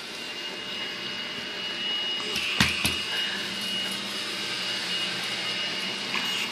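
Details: Steady broadband hiss and hum like a vacuum cleaner, with a couple of brief thumps and no animal sounds.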